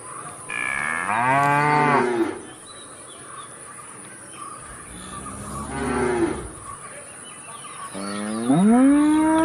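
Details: A cow gives three long, harmonic moos, each rising then falling, separated by quiet gaps.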